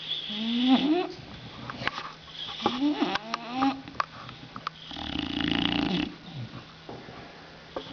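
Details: Sleeping female bulldog snoring, with short rasping snorts that swoop upward in pitch, several in quick succession, then a longer rough breathy rattle.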